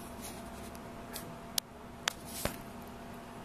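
Quiet indoor room noise with a low hum and a few sharp clicks or taps, no animal voice.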